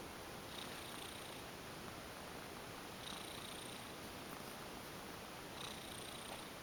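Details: An affectionate ex-stray female domestic cat goes limp while being massaged and purrs steadily, a soft low rumble that swells gently with each breath.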